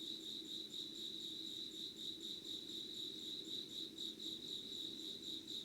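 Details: Dawn insect chorus, 25 August 2019 around 5:00: fast throbbing trill pulsing several times a second, layered with an unbroken piercing high tone and a soft low background drone.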